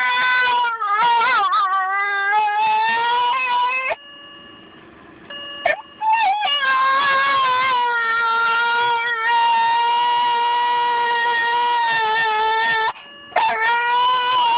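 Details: An almost two-year-old female white Miniature Schnauzer, reacting to the car door's "ding", sings in long, wavering howls, broken briefly by a soft steady electronic chime.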